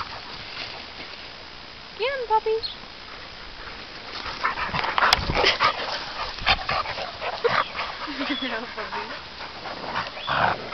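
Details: Playing dogs, American Staffordshire terriers, Labradors and a Labrador–Amstaff cross, with sheep far off; a short, tonal, wavering whine early on, scuffling and panting through the middle, and a lower whimpering call near the end over scattered human voices.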